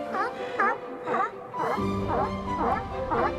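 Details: A Pacific sea lion colony on a beach barks in quick succession, each call a coarse, bent honk that swells and drops, roughly twice a second, with soft music playing underneath.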